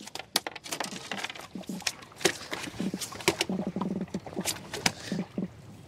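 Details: A freshly caught, eating-size black drum held near the mic at South Padre Island, Texas (Laguna Madre), gives low, throbbing drum pulses in quick bursts, mixed with sharp handling clicks. Black drum.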